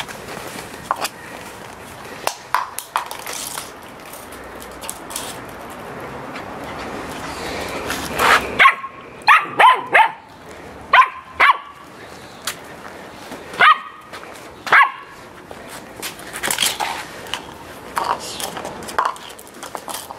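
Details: During playtime a Samoyed begins barking after a long stretch of muffled noise. The clipped, high barks come in irregular bursts of one or two, often a second or so apart.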